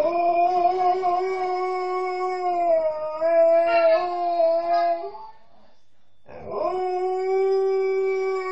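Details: Long sustained howls from a female Alaskan Malamute thought to miss her mother: a steady harmonic tone held about five seconds with a slight wavering lift, a short pause, then another even, drawn-out howl.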